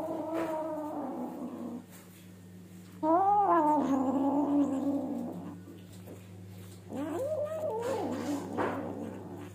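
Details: Kitten that stole a piece of potato gives drawn-out, wavering yowls, one long rising-falling call near the middle and a shorter one later, over a steady low hum.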